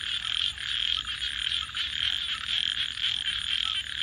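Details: Frogs call after dark in a rapid, pulsing chorus, with raspy croaks swelling and fading roughly twice each second, backed by a shrill steady high whine and a faint low hum.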